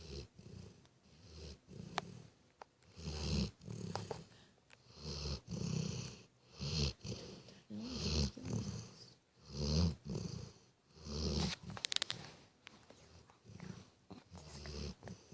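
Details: Sleeping dog snoring: low, rough breathing bursts in an uneven rhythm, roughly every one to two seconds. Each breath swells and fades, with a few soft clicks between them.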